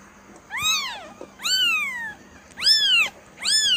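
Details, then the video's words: Kitten mewing four times, roughly once a second, each call a clear, high, rising-then-falling whine with rich overtones over a quiet background hum. "SUARA ANAK KUCING"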